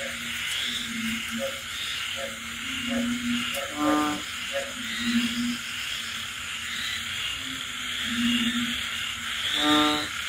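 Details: Frogs calling on a rainy night in the countryside: short low tonal croaks repeat irregularly, with two louder, harmonic-rich croaks, over a steady high hiss of insects and rain.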